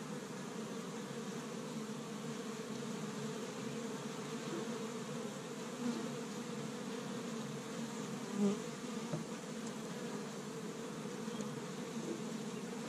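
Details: Busy honey bees at an established Michigan hive on a first warm spring day, foraging pollen from tree buds; a continuous low, throbbing hum, with a brief louder swell near the middle as a bee passes close.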